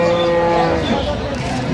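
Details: Cows with calves at the Aftabganj cattle market in Dinajpur on 25 November 2025. A brief, sustained tonal moo is heard beneath loud bargaining voices calling out prices.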